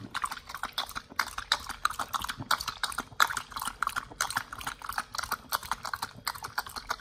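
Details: Pit Bull named nomyen eating raw beef shank, green tripe, chicken feet and quail egg in a raw-feeding ASMR session; dense wet crunching and chomping bites repeating rapidly throughout, no other sounds.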